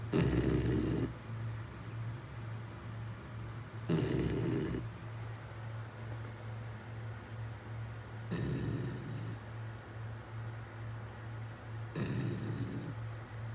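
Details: Beagle snoring steadily, with four harsh breathy snores spaced roughly four seconds apart over a continuous low hum.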